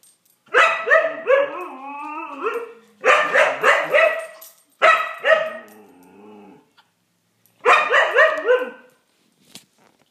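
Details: Siberian Husky playing with a cat, giving loud harmonic barks and yowling howl-like vocalizations in four bursts, each trailing into wavering moans, with short pauses between.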